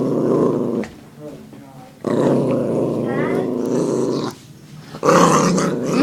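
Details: Puppy growling indoors after being teased by its owner, rough low rumbling bursts of about a second to two seconds separated by short pauses, with a person talking nearby.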